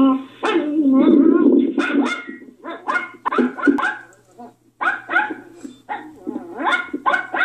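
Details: Poki, a pet Yorkshire Terrier, reacting in fright to another dog's sound: a fast, irregular run of high, harmonic barks and whining yelps, some rising in pitch, over a steady low hum.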